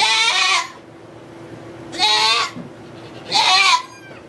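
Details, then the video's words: Goat at a sugar shack in Quebec, Canada, during the birth of two kids: three clear, harmonic, quavering bleats spaced about one and a half seconds apart over a quiet background with a faint hum. "Goat giving birth (Quebec) / Accouchement de chèvre"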